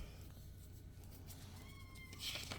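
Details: Very vocal kittens indoors: one short, thin, high meow late in the stretch, faint against a steady room hum and soft rustling.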